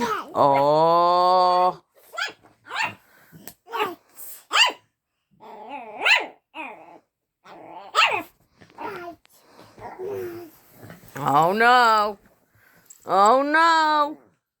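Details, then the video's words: Luna, a pet dog, barking at another dog, Daisy, for the first time; long drawn-out harmonic barks open and close the sequence, with short sharp yaps between and a person talking over them indoors. "Luna barking at Daisey for the first time"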